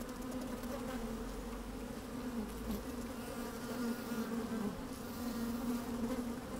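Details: Working honey bees within an open hive on a fine sunny day: steady buzzing hum that swells slightly toward the end, with scattered short buzzy accents and light wind rumble.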